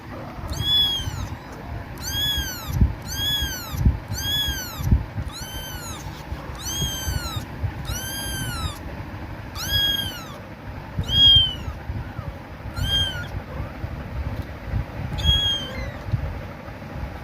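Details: A female kitten calls for her mother with loud, high-pitched meows, each rising then falling, repeated about once a second.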